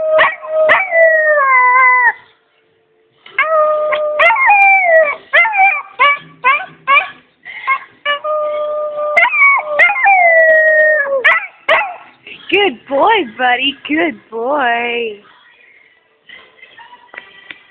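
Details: German Shepherd. A German Shepherd gives drawn-out, tuneful howls that hold a pitch and then slide down, rich with overtones. Quick yelps and broken, warbling notes come between the longer howls.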